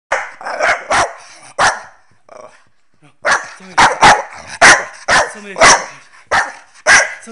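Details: Two Staffordshire Bull Terriers, female Nelly aged 12 months and male Rip aged 7 months, playing games together. Sharp barks come in a quick cluster, then a pause near the middle, then a rapid run of loud, evenly spaced barks.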